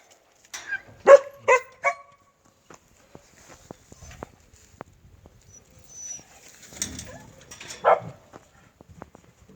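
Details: Native Korean Jindo dog giving three sharp, harmonic barks in quick succession, then a long quiet stretch with faint movement noise and a final single bark near the end.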